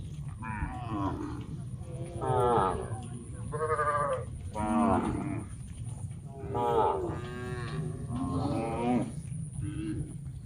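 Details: Many tame cows moving in a large herd toward a green grass field to graze; several overlapping moos, each about a second long, come one after another over a steady low rumble of hooves and movement.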